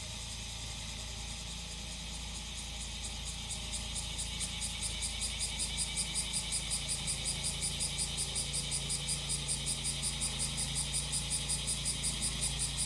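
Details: Cicada song over a running engine: a high shimmering buzz that swells after about five seconds into sharp regular pulses roughly three per second, with a low steady motor drone beneath.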